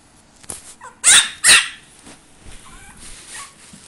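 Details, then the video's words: A crying Chihuahua gives two sharp, loud yelping bursts close together near the middle, with faint thin whines before and after against a quiet background. "Chihuahua crying"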